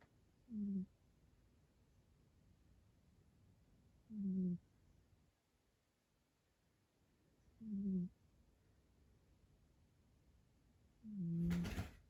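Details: Sleeping pet cat, a rescue, snoring loudly indoors: four short nasal snores, each about half a second, spaced roughly every three and a half seconds, the last one louder and harsher, with near silence between them.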